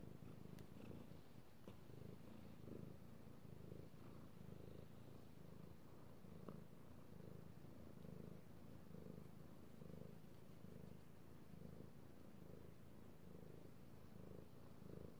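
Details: Male pet cat purring steadily while being petted indoors, recorded 3/16/18: a low, rumbling purr with soft rhythmic pulses about once a second, continuous throughout, with faint clicks and no other animals.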